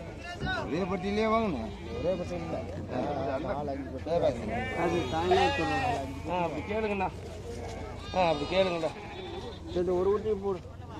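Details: Many goats at the Friday livestock market in Morpalayam, Namakkal, give overlapping tremulous bleats throughout. People talk constantly in the background.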